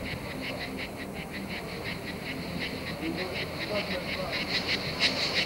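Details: Cicadas recorded in France in 1995: a steady, buzzy, pulsing chorus of short rasping bursts, about three per second, sitting high and continuous over a low rumbling background that grows slightly louder toward the end.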